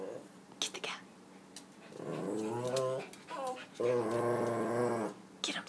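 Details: Pet dog Zooey, hunting for cats, makes two drawn-out, tonal growl-moans, each about a second long. Human voices, whispered urging and short clicks come before and between them.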